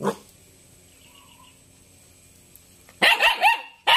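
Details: Jet black Belgian Malinois puppy, three months old, giving a quick burst of three loud, sharp barks after near silence, then another bark at the very end; a faint low hum runs underneath.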